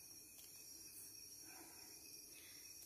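A cicada's steady, high-pitched buzzing drone hums on without a break.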